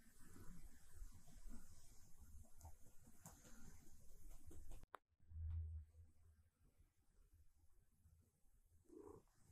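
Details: Siberia, a silver tabby cat, purrs steadily while being petted during her morning routine indoors. A deep, continuous rumble breaks off briefly, then resumes, and a faint short meow comes near the end.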